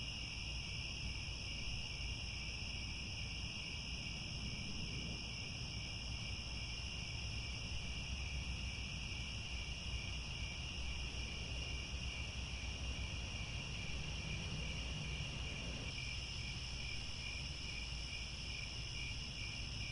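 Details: Sunset cricket chorus from grassland near Angkor Wat in Cambodia: continuous shrill trilling in layered high bands, never pausing, while a deep rumble and broad hiss fill the low range and shift slightly near the end.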